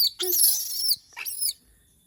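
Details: Monkey said to miss humans gives a long, shrill, wavering scream of almost a second, followed by a shorter rising shriek and then quiet.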